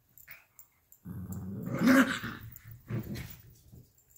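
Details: Playful tussle over a toy fox between a 12-week-old Alaskan Klee Kai cross Pomeranian puppy and a 7-year-old American Eskimo cross Chihuahua indoors; one sustained growl swells into a louder snarling peak, then a shorter growl follows.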